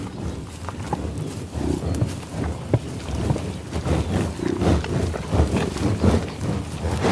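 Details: Bison sniffing and grunting in tall grass on an Oklahoma prairie near Pawhuska, field-recorded with Schoeps and Sound Devices 788T gear: low snorting breaths and short noisy puffs repeating irregularly over grassy rustle.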